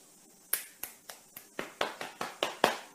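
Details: Sharp finger-snap-like clicks repeat roughly every quarter second in a small indoor room. No animal voice is heard.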